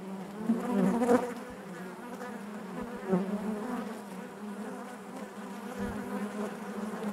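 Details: Natural buzzing of honey bees inside the hive, a constant low drone punctuated by a louder close buzz around one second and another near three seconds, otherwise level and even.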